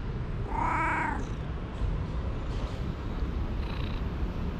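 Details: Energetic young cat playing with a moth lets out one short, bright meow with clear harmonics, followed by faint higher chirps against constant low rumbling noise.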